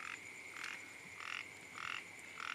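A frog gives short, nasal croaks, repeated about every half second over a steady insect drone.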